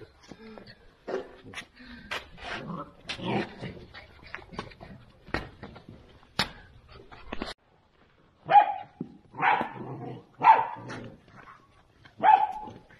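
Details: A litter of two-month-old Central Asian Shepherd puppies rushing through a bowl of dog food, giving a few short, clear, tonal yelps and whines in the second half after a stretch of human talk and clattering feeding noises.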